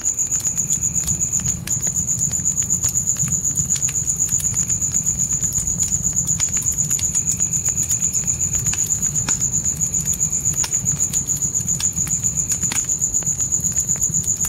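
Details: A steady, high, metallic pulsing from night crickets in a dark forest, about four pulses each second, joined at times by a softer insect buzz, with campfire crackles and a low fire rumble.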